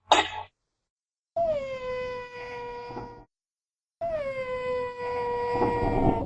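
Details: Genet recorded in natural habitat, giving long drawn-out wailing moans, each starting with a slight downward slide then holding steady for about two seconds, two such calls separated by silence, after a brief harsh burst at the start.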